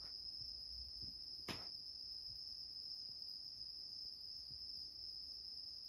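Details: A bell cricket (Meloimorpha japonica) sings a steady, high, ringing trill without pause, broken once by a soft click, while a cat sleeps indoors on a bed.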